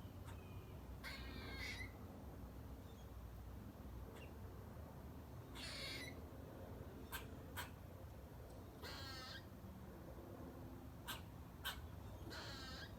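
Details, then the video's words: A squirrel in a front yard tree squeaks while eating a nut, giving short, raspy, rapidly pulsed bursts every few seconds, faint against a steady background hiss. "Cute Squirrel Squeaking & Making Loud Sounds While Eating A Nut"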